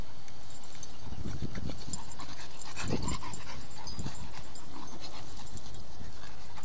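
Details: Two young pit bulls, one a six-month-old 75-pound blue nose puppy, the other eight months old, wrestle in play; deep grumbling growls and heavy panting rise in bursts around the middle, with shuffling noise.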